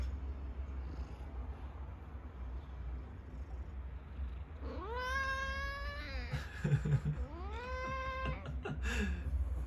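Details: Domestic cat fighting indoors, climbing on top of its opponent; two long, rising then level yowls, each about one and a half seconds, separated by a short scuffle, with a brief third cry at the end over a low household hum.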